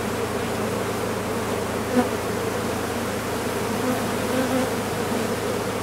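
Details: Honey bees of a big colony nesting in a condemned chimney, heard as they are being removed: continuous thick humming drone, even and unbroken, with slight swells in loudness and one brief knock.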